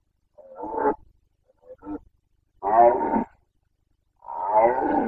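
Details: Boncănit, the rutting roar of a Carpathian stag in Bucovina, breeding season 2021: a short bellow, a brief faint grunt, then two longer rasping, harmonic roars, each about half a second to a second, separated by quiet gaps.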